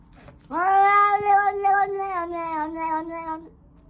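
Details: Domestic cat making a funny noise while eating: one drawn-out harmonic meow lasting about three seconds, rising sharply at the start, then holding steady and slowly falling, with a faint background hum.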